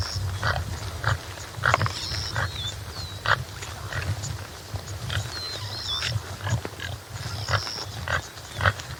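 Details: A topi, subspecies Damaliscus lunatus jimela, gives short low grunting pulses at irregular intervals. Clear, thin bird whistles and sliding phrases repeat above a soft outdoor background.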